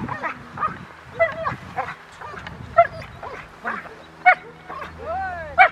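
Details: Poncho, a Rottweiler in IGP1 protection training at Victoria Rottweiler Club, May 9, 2021: loud, sharp barks at irregular intervals, about eight in six seconds, some rising into higher yelps, over a quiet low hum.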